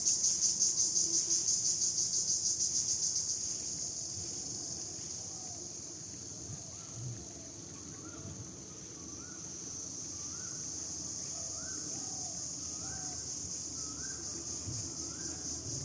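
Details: Crickets outdoors among trees with fresh leaves, a loud pulsed high trill at first that settles into a quieter continuous ringing hum, while a bird gives soft repeated rising notes in the background.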